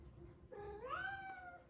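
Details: A male Persian cat gives a drawn-out, rising meow-like heat call.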